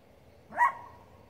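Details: Poodle barking at elk, a single sharp, brief bark standing out against a quiet low hum.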